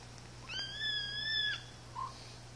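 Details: One-month-old Siamese kittens, a male and his sister, playing indoors; a single long, steady, high meow held for about a second, with a short faint squeak after it.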